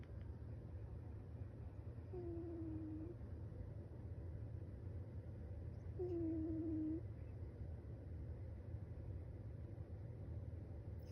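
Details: A sleeping cat snoring: two soft whistled, slightly falling tones about four seconds apart, each lasting roughly a second, over a steady low rumbling hum.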